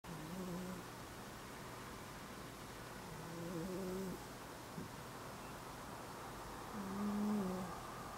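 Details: Domestic cat snoring indoors, one of two cats named Ameta and Hanu; soft, low, buzzy harmonic snores rise and fall in slow breaths about every three and a half seconds, with a faint steady room hum between them.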